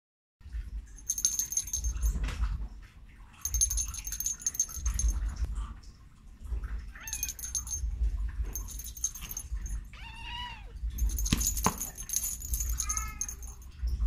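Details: Domestic cat talking, giving two short arched meows that rise and then fall near the end, over a steady low rumble and repeated bursts of jangling, metallic clinking.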